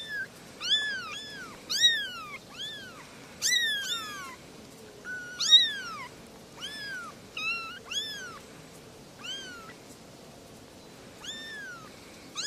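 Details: Three domestic kittens meow in high, thin, overlapping cries that rise and then slide down.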